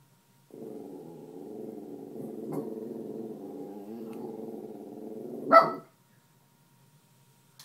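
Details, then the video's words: A miniature schnauzer, a female on watch indoors for a possible intruder, holds a long low rumbling growl for about five seconds, broken by a faint yip, ending in one loud sharp bark. "Burgler Alarm"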